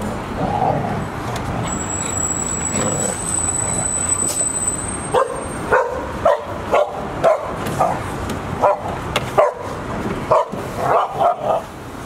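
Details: Golden Retrievers, four 186-day-old pups and their mother, recorded 28 October 2018 at Ain village. A high electronic whine sounds at first, then from midway a run of punchy barks repeats roughly twice a second.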